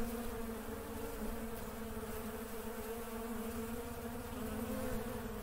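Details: Honey bees at work produce a continuous swarm hum, even and unwavering, a low droning tone overlaid with a higher buzzing band and faint crackle beneath.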